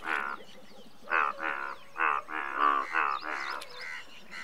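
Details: Indian bullfrog, the largest frog species in India, giving loud nasal croaks in short harmonic bursts, about seven in four and a half seconds, some overlapping as if from several callers, with faint high chirps behind.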